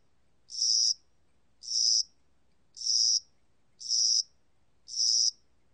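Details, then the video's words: Chirping of a spring-summer cricket from Korea: five evenly spaced, high-pitched buzzy pulses about one per second, clean and isolated against a quiet background. "봄여름귀뚜라미, 1번 듣기, 곤충소리"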